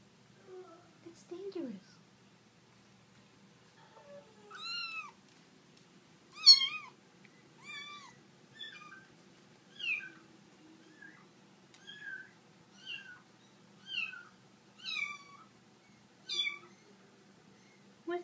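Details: Kittens indoors, being discovered by Prada, an Italian Greyhound: a long series of high, thin mews, each falling in pitch, repeated roughly every second, some sharper and rising, over a quiet room with faint low hum.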